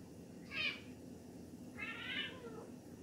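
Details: A Siamese cat that has spotted a bug gives its bug-alert meow: two bright, harmonic meows, the second longer and drawn out.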